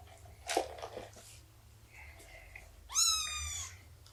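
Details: Indoor cat family at morning nursing and play time, with Shelby, an abandoned mother of about two years, and her three-month-old kittens. Soft rustles, then one loud harmonic meow that rises and holds steady for about half a second.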